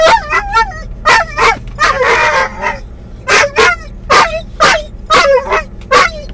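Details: Mungle, a muzzled Doberman/collie cross, calling for his lost toy Moromom while searching in a car; repeated high whiny yips and short wavering whimpers in bursts about every half second to second, with a faint background hum.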